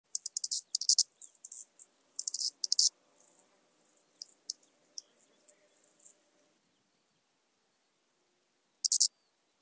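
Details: Arcyptera microptera grasshopper at Zalahalap, Hungary, on 18 July 2022, captured with an ultrasound detector: bursts of loud, very high, rapid ticking pulses, then a long run of fainter, evenly spaced clicks fading out, ending with another loud burst.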